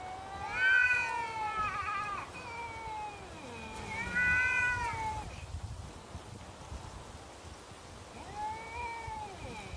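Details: Neighbourhood cats in a standoff outdoors: long, wavering, harmonic-rich yowls rising and falling in pitch, three separate drawn-out cries over about ten seconds with quiet gaps between.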